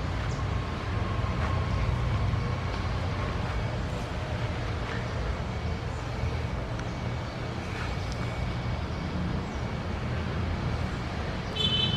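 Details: Steady low rumble of a passing vehicle or train with faint clanks, and no animal voice stands out.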